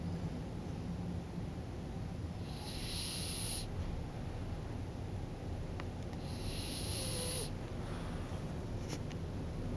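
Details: Drowsy French Bulldog Kokubo snoring as sleep comes on, with breathy rasping intakes repeating roughly every four seconds against a constant low-pitched background drone.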